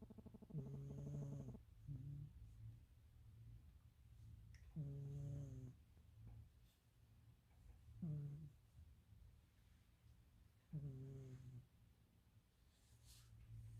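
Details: Sleeping cat snoring loudly, much like a person: low, buzzy, harmonic snores every three to four seconds, each about a second long, over a steady low indoor hum.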